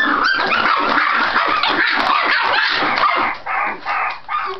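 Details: Scottish Terrier puppies in noisy play, vocalizing to seem more vicious though not fighting; dense snarling growls, yips and short barks tumbling together, quieter gaps near the end.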